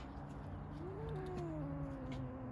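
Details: Female domestic cat that climbed too high up a tree and is trying to come down, giving one long drawn-out meow that rises, then slowly slides down, over a low steady background hum.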